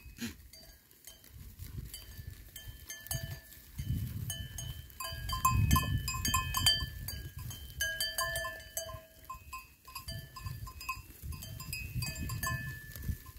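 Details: Goats recorded on 26 September 2024; short harmonic bleating calls rise and fall in quick succession over a low rumble, mixed with bright clanking, bell-like tones and scattered clicks throughout.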